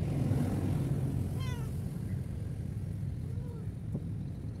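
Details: Abandoned roadside cat lets out one distinct descending meow, followed a couple of seconds later by a softer, fainter mew, with a constant deep vehicle rumble throughout.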